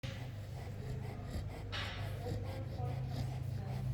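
A Chow Chow snores in deep sleep, a low, rumbling breath sound with a brief snort.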